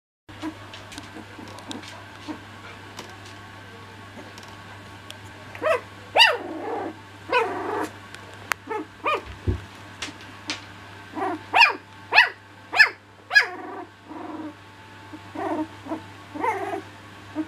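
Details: Young cocker spaniel puppies at play give bursts of high yelping barks and squeals with low growls in between, coming in uneven clusters, most densely toward the middle and later seconds, over a steady low hum.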